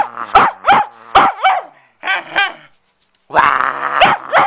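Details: Bedlington Terrier playing with a cloth, giving sharp repeated barks with wavering high yelps between, a pause of silence, then a long strained growling whine ending in more barks.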